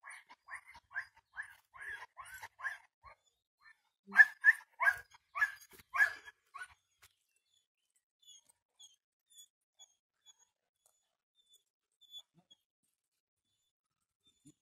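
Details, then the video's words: A dog reacting to sheep running in a garden during early training, on a leash. It gives a quick run of sharp barks, then a louder burst of barks, then falls mostly quiet with a few faint sounds. "Baron a jeho aktivní reakce na ovce"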